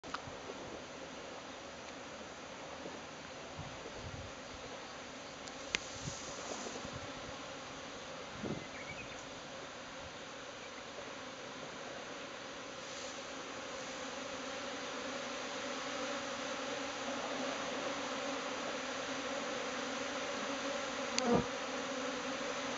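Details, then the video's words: Japanese honeybee swarm cluster breaking up into a flying cloud of bees heading to a new home; a dense, steady broadband hum fills the whole recording, with a few brief clicks and taps. "ニホンミツバチ 分蜂蜂球 崩壊"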